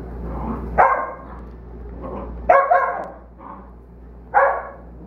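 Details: An 8-week-old Belgian Malinois puppy named Mongo plays with dogs Brees and Zuzu; three loud, rasping barks come roughly every one and a half seconds, with softer grunting sounds between them over a constant low background drone.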